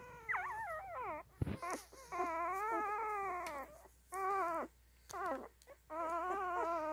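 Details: Nursing newborn Standard Poodle puppies give long, drawn-out whining cries that bend up and down in pitch, in four or five sustained bursts separated by short pauses, with a single sharp squeak early on.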